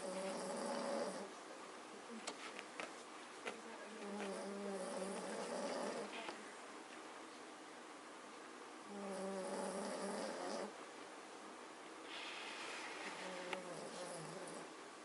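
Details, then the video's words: Snoring Magyar Vizsla family asleep: a series of drawn-out nasal snores, each lasting one to two seconds, with quieter breathing gaps and occasional small clicks and rustles between them. "Schnarch - Hrrrk . snoring Magyar Vizsla Family"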